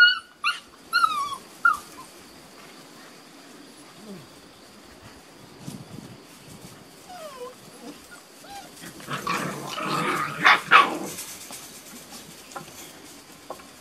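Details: Six-and-a-half-week-old Beauceron puppies of a working-line litter in a new pen, May 2019, whimpering: a burst of high bent squeals at the start, scattered soft whines later, then rustling and scuffling with a few sharp yelps.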